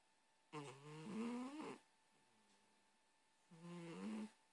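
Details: Sleeping kitty snoring softly, two drawn-out buzzy breaths rising slightly in pitch, separated by a quiet gap with a faint low exhale, against a steady background hum.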